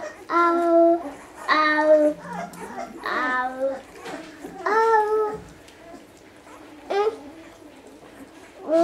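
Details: One-week-old Basset Hound puppies giving tonal, harmonic cries, several separate wails each lasting about half a second to a second, some dipping then rising in pitch, with short quiet gaps between them indoors.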